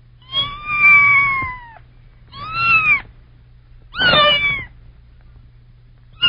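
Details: A kitten meows three times in quick succession, each call high, clear and arched in pitch, the first the longest. A fourth starts as the recording ends, over a low steady hum.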